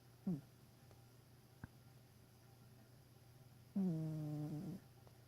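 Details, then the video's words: House cat asleep and snoring, giving one brief harsh snort, a soft click, then a full second-long droning snore with a buzzy, steady pitch, in a quiet indoor room. "My cat snoring."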